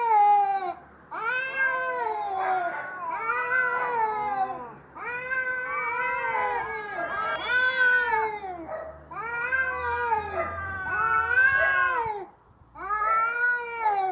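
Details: Quarrelling domestic cats yowl at each other in a long run of arched, moaning wails, each about two seconds long, rising then falling, nearly continuous with only short breaks.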